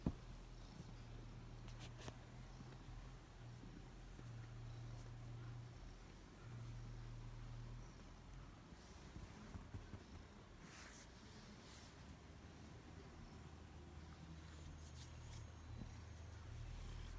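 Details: A 15-year-old Bengal cat purrs in a low, steady rumble that swells and eases with each breath while being played with.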